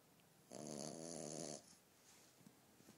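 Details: Single snore from a sleeping female French Bulldog puppy who wakes herself up: one buzzy, rattling snore of about a second, then a quiet room.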